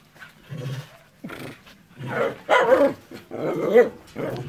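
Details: Enzo or Ozzy, pet dogs, mix low growly rumbles with gruff barks in a run of about six bursts, the loudest near the middle and end.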